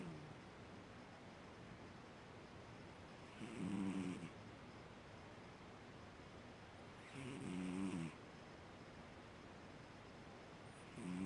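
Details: A Siamese cat named Fu-chan, asleep, snores indoors: low, harmonic, rasping breaths about 1 second long, two clear snores roughly 3.5 seconds apart with a third beginning at the end, over quiet room hiss.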